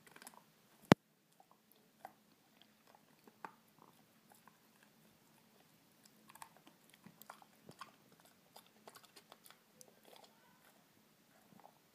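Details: Only crunching and chewing sounds are heard indoors, with no animal voice.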